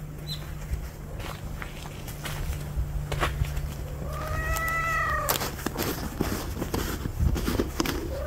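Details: House cat Juhwang-i and stray cat Norang-i finally share a room, moving in together. A single drawn-out meow rises slightly and then falls, lasting about a second in the middle. A low steady hum and soft indoor rustling run underneath.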